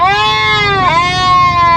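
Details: Goat giving a loud, drawn-out bleating scream, strongly harmonic and nasal, holding a steady pitch, dipping briefly near the middle, then rising slightly and sustaining to the end, with no other clear sounds.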